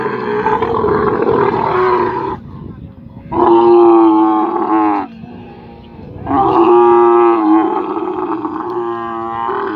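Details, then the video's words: While its owner restrains it to give medicine, a camel bellows in three long, rough, droning roars, each around two to three seconds long, separated by short pauses with low rumbling background noise. "Camel voice"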